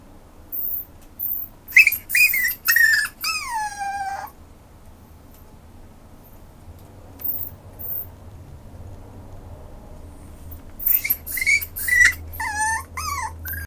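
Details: Westiepoo dog whimpering in bursts of squeaky, whistle-like cries, one drawn out and sliding downward, then a long quiet stretch before another cluster of high whines with falling tails.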